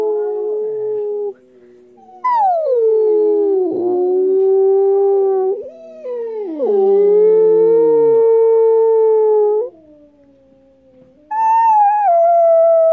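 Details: Siberian Husky puppy howling: long sustained tonal howls with sliding, wavering pitch, some dipping sharply then rising, in three to four drawn-out phrases separated by brief pauses.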